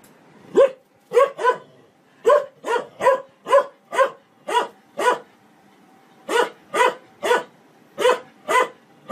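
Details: Domestic dog barking in quick bursts, single and doubled barks spaced irregularly across the recording, each sharp and mid-pitched with bright harmonics, against an otherwise quiet background.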